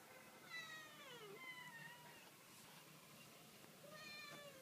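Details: Domestic cats meowing: a long, drawn-out call that slides downward over about a second, a quieter wavering follow-up, then a rising meow near the end, over a faint background hum.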